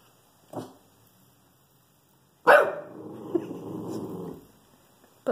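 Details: Shih Tzu reacting to a squirrel in a tree, protective; a short bark, a pause, then a loud bark that runs into a sustained low growl lasting almost two seconds.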